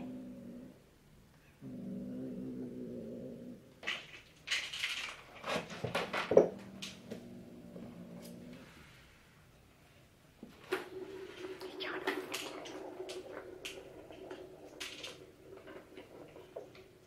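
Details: Indoor domestic cats meeting on day four: a brown tabby resident about five to six months old and a black kitten about two months old, fighting and threatening. Drawn-out low growling moans, then sharp breathy hisses amid scuffling and thumps, and the growling resumes.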